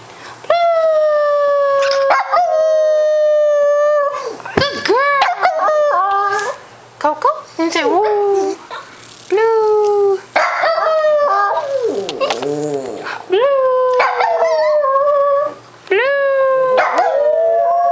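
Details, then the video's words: Cocoa, a pet dog, howls repeatedly at home while a person coaxes her with "say blue"; long tonal howls bending up and down in pitch, several in a row with short gaps, mixed with human speech. "I FINALLY get Cocoa to howl on camera."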